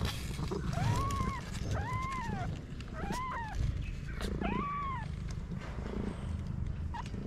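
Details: Stray cat in Morocco, a mother hiding her newborn kittens in a paper box; four drawn-out, arching meows rise then fall, spaced about a second apart, over a steady low rumble of background noise.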